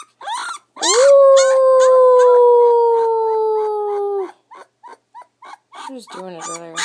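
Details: Young puppy, ten days old, letting out a loud sustained howl lasting over three seconds, gently falling in pitch, followed by soft short squeaks and a few wavering cries.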